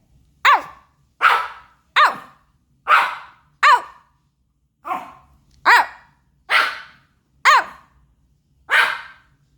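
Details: Baebae the Pomeranian puppy talking back in a run of ten high, yappy barks spaced roughly a second apart, some clear and arched, others hoarse and breathy, with no other sounds.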